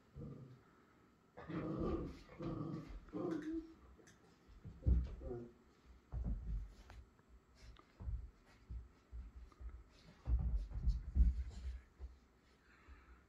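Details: A Miniature Schnauzer gives gruff, growly barks in short bursts, trying to get a Pit Bull to play.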